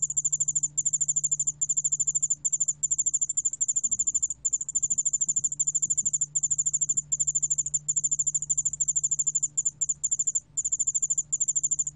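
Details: Yeoul allak bangul beolle cricket song: high, thin trills in short bursts of about a second each, separated by tiny gaps, repeating steadily, with a soft low hum underneath.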